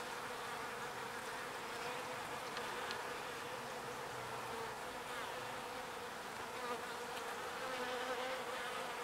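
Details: Bees busy foraging pollen and carrying it back to the hive. A constant swarm-like buzz, with individual bees briefly rising in pitch as they pass close, and small swells in loudness.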